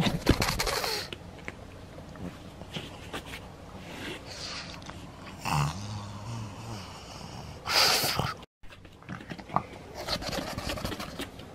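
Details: Pug named Maria indoors in Saitama, Japan, on 3 August 2020, pulling cotton stuffing out of a toy; irregular snorting and wheezy breathing in short bursts, with rustling and handling noises between them.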